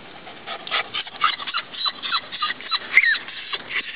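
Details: Chino, a pet dog, panting on a hot day during a game of fetch: fast rhythmic breathy bursts about four per second, with a brief high whine near the end and a person's encouraging voice nearby.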